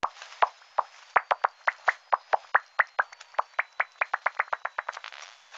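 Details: Echolocation pulses of a migratory bat species that travels to the southern United States in late October, slowed to audible pitch, come faster and buzzier toward the end as it catches an insect.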